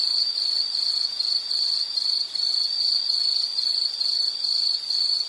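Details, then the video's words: Insect in a nature recording, giving a high, shrill pulsed trill: short buzzy bursts at one steady pitch, repeated a little over twice a second, with soft background hiss. "Sound · Nature Sound of nature sounds scenery L · insect"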